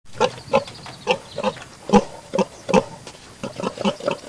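A pig gives a quick series of short, low, rough grunts, several each second.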